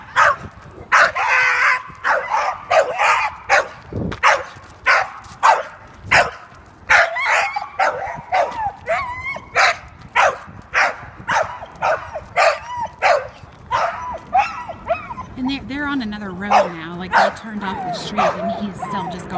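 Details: Leash-reactive three-year-old male American Staffordshire Terrier (red nose pit bull), walking on leash while other dogs cross the street toward him, meets them with rapid volleys of sharp barks and yips, then high whimpering whines near the end.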